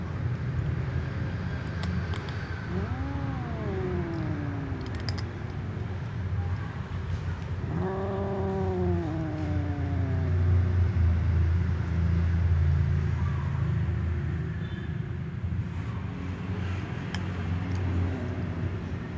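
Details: Tom cat and ginger cat meowing loudly at each other before eating together: two separate arching meows, a short one near the start and a longer, wavering one soon after, over a constant low rumbling background.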